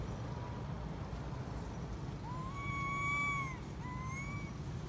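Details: Baby monkey, female, crying loudly to implore her mother to come nurse her: a faint thin cry, then a long clear tonal wail that rises, holds and falls, followed by a shorter one, over a constant low rumble of traffic.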